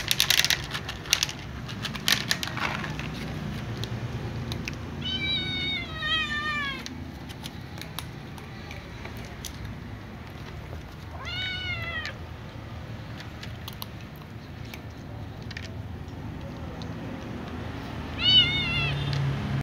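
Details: Cats begging for food, a little ginger cat and a young white cat among them: three separate short, rising-then-falling meows spread several seconds apart, with clicks and low background noise between calls.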